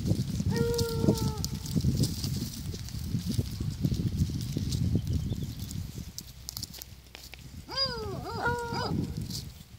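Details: Miniature donkeys: two short harmonic braying calls, one near the start and a rising-falling, wavering burst near the end, over steady low rumbling background noise.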